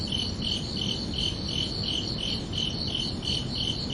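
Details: Night-time cricket chirps, quick and evenly spaced at about three a second, each a shrill pulsing burst with a faint higher overtone, set against steady low background noise.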